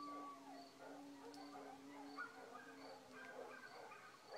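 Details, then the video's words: Coyotes yip in darkness around 2:30 am while every dog in the village howls back; jumbled short yelps layered over a long steady low howl, crickets pulsing evenly in the background. "Coyotes yip..."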